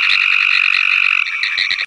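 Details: Pine Woods Treefrog calling alongside Cope's Gray Treefrog: a loud, fast, rattling Morse-code-like trill of rapid pulses, followed by a few slower separate clicks before stopping.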